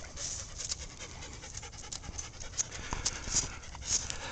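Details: Fanny the Leonberger, together with Gracie, 29 January 2010: quick, airy panting breaths in close succession, with a few tiny high-pitched squeaks near the end.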